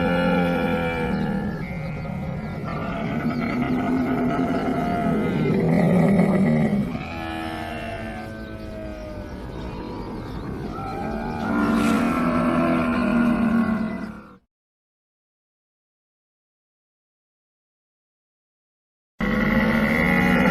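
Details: Camel bellowing in deep, gurgling groans rich in layered overtones, rising and falling in long continuous bouts for about fourteen seconds, then silence before the bellowing resumes briefly at the end.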